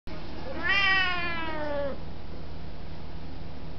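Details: Talkative Siamese cat indoors, greeting with a single long, deep and loud meow that rises and then slides slowly downward, richly harmonic and drawn out for over a second; recorded in 2005, with quiet room hum behind.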